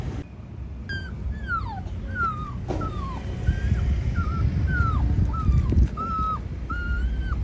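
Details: Puppy about 25 days old, lost its mother at a highway intersection, whimpering in a run of high, thin whines, each sliding downward or arching, roughly one per second, over a steady low rumble of traffic.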